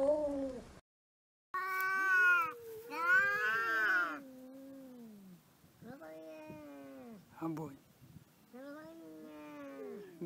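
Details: Domestic cat "talking" in a funny compilation: a run of long, drawn-out meows that bend up and down in pitch, with a short break near the start and a clipped chirp-like call midway. Quiet human voices in the background.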